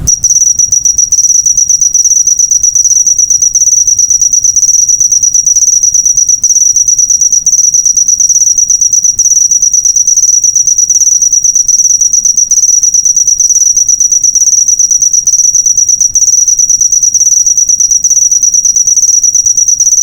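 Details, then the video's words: Cricket chirping, used as a master recording for training cage birds: a loud, steady, high-pitched pulsing trill that runs continuously without a break, with only faint low rumble beneath. "Masteran burung suara jangkrik mewah yg paling di cari"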